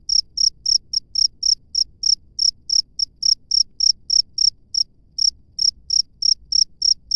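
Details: Cricket chirping in the wild: steady run of short high-pitched pulses, roughly three per second, slightly uneven spacing with a short gap midway; quiet low background hum.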